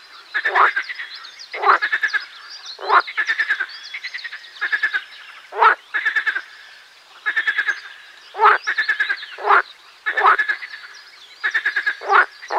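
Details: Marsh frogs croaking in chorus, each call a quick train of rattling pulses, coming in bursts about once a second with frequent overlap between neighbouring frogs.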